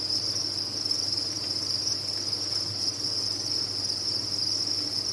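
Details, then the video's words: Dense chorus of farmed crickets, a bright, high-pitched continuous chirring that holds steady at even loudness throughout, over a quiet low hum. "Sound of a Cricket Farm"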